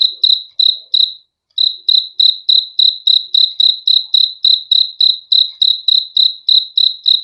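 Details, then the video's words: High-pitched cricket chirps repeating quickly, about three and a half per second, after a brief silence near the start; a quiet, clean recording with no other sounds. "BEAUTIFUL SOUND OF CRICKETS"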